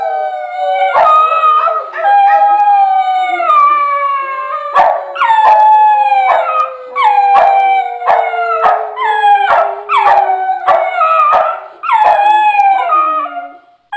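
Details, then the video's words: Howling duet by the dogs Millie and Maddie: a sustained low howl glides steadily downward beneath a second dog's repeated short rising-then-falling howls, about one per second, with sharp yips at their onsets. "Howling for Hillary"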